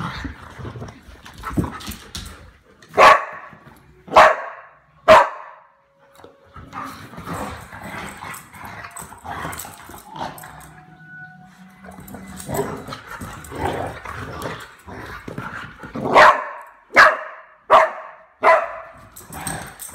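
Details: Pet dog barking while playing with another dog at night indoors: sharp single barks spaced about a second apart, a quieter stretch with scuffling and a brief tone, then a faster run of five barks near the end.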